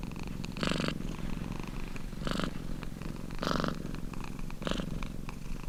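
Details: Domestic cat giving a low, rattling purr, the throbbing drone growing louder in four breath-timed bursts, about one to one and a half seconds apart.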